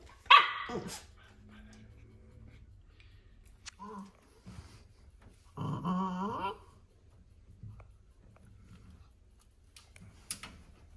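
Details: Corgi puppy attacking a bicycle pedal: a sharp, high bark opens, followed by quiet gaps with small grunts. About halfway through comes a second-long tonal growl, then soft clicks and knocks.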